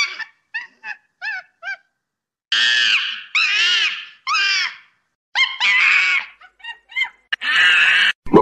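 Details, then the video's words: Monkey giving short squeaky yelps in quick succession, then longer harsh screams with strong harmonics, ending in a burst of rougher noise. "SOM DE MACACO"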